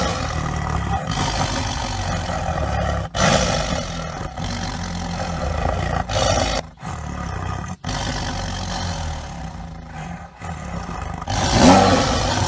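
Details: Tiger roaring: deep, rough, broadband roars with strong low rumbling, broken into several short edited segments by abrupt cuts and brief silences, with a louder burst near the end.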